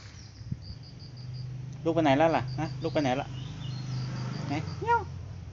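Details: Domestic cat at breakfast feeding time, giving several wavering, strongly harmonic meows in a quick cluster, then a short rising-and-falling meow near the end, over a steady insect hum.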